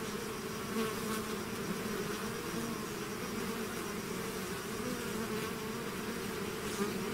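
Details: Swarm of bees leaving the hive, heard as an even, unbroken buzzing hum with stacked low tones and occasional short higher whirrs as single bees fly close.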